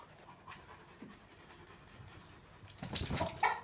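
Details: Tornjak, a livestock guardian dog breed native to Bosnia and Herzegovina and Croatia, resting in the shade beside a Ciobanesc de Bukovina; near-silence gives way to a sudden burst of rapid, breathy, hissing panting in the last second.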